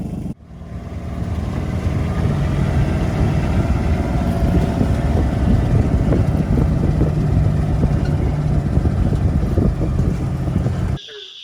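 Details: A steady low engine rumble, like a vehicle idling nearby, with no animal voices.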